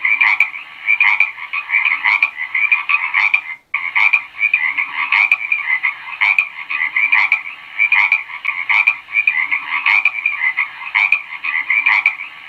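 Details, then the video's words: Dense frog chorus of raspy, trilled croaks running without pause, louder bursts recurring irregularly every second or so, with one momentary gap early on. "SOM DE RÃ - BARULHO DE RÃ - SOM EMITIDO PELA RÃ"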